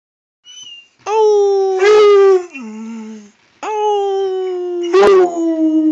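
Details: Redbone Coonhound howling at the person filming: two long, loud, steady harmonic howls, the first sliding down to a lower tone before a pause, the second held and wavering near the end, with brief rougher bursts mid-howl.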